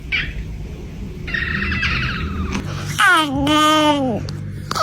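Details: Domestic cat producing strange, funny noises: a short nasal note, a strained buzzy harmonic cry, then a long wavering meow that rises and falls with rich harmonics, over a faint background hum.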